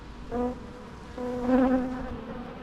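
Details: Natural bee buzzing in two bursts, a low droning hum with stacked overtones that swells, fades, then returns louder and steadier for about a second before trailing off against a quiet background.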